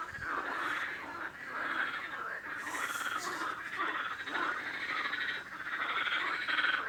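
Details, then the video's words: Frog giving continuous raspy, pulsed croaks in quick succession, the rhythm rolling on with little break, plus a brief hiss of higher noise partway through. "Frog Sound | Bruit de Grenouille | Kurbağa Sesi"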